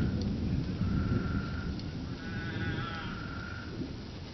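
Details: Spadefoot toads in Arizona, out of the ground for their mating ritual after monsoon rains saturate the soil. Their sheep-like bleating calls come as drawn-out nasal tones over loud rumbling storm noise.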